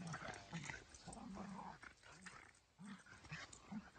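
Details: Boston Terrier and Keeshond wrestling together in play. Low, rumbling growls and short grunting snarls come in uneven bursts, several close together.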